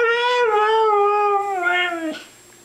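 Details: Pet Siberian Husky, a female praised as a good girl, 'talking' indoors as if saying 'I love you': a smooth, held, slightly falling howl-like tone with rich overtones, ending in a brief dip and rise, with a person speaking around it.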